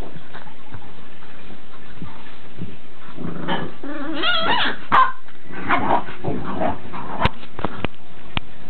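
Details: Ten-week-old Boxer puppies, two of them, let out a wavering high-pitched whine lasting about a second, then sharp yips and small barks, followed by several clicking knocks.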